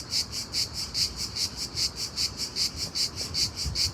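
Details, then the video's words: In daylight, a loud cricket repeats bright, piercing chirps, around ten in four seconds, each a short buzzy burst. Soft low noise runs in the background. "Unbelievably loud cricket chirping sound in day time."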